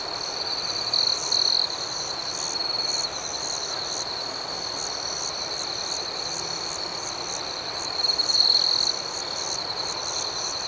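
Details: A nighttime outdoor chorus of crickets. A continuous shrill trill is overlaid by quick chirps, about four per second. Two louder bursts of trilling swell near the start and again toward the end.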